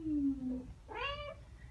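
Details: Ragdoll cats Ao and Aki, aged one year and nine months, chattering back after hearing birdsong: a low falling tone, then one bright harmonic chirp that wavers and rises briefly before fading.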